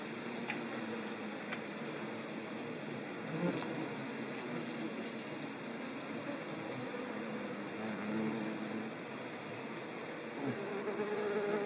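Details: Ivy bees (Colletes hederae) recorded in countryside of central France, Nouvelle-Aquitaine, on 17 September 2018. Low droning hum comes and goes in short passes, loudest near the end, over a steady hiss of background noise.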